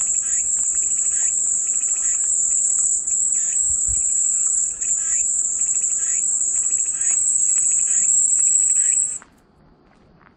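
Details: A shrill, sustained cicada buzz holds for about nine seconds before stopping suddenly into near silence. Faint chirps run beneath it and a low thump is heard midway.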